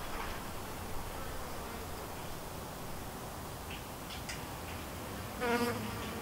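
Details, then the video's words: Honey bees buzz around a white hive, a thriving split colony. A steady background hum runs throughout, then one bee passes close near the end with a loud, tonal, droning buzz. "Just Honey Bees Buzzing in HD Audio around about my White hive"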